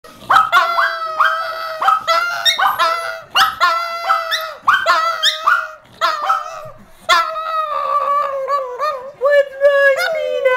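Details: Brussels Griffon singing in a living room where four dogs are playing. A run of short, tonal yowling notes, some rising and falling, with several sustained wavering tones near the end.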